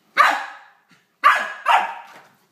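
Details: Corgi puppy Emrick barking during late-night play with Shanny, a small ferret, around 01:30; three sharp, bright barks, the first alone and the last two close together, with silence between.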